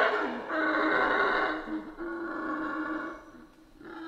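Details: Howler monkeys in a Central American rainforest give a drawn-out, droning howl with layered tones, softening toward the end before rising again briefly.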